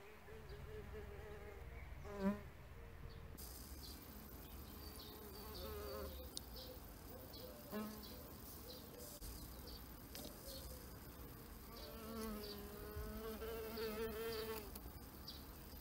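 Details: Insect hotel residents, bees buzzing in a steady layered drone; close fly-bys near two, six, eight and twelve seconds swell loudly then recede, while a faint high hiss runs underneath.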